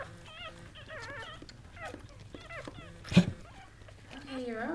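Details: Goldendoodle mother Sandy, a bred Golden Doodle in labour and giving birth to seven puppies, heard as thin wavering whimpers and squeaky yelps in short bursts, with a soft human voice praising her and a brief thump near the end.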